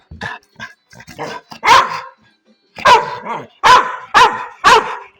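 A dog gives a run of sharp, loud barks after some softer, broken vocal sounds.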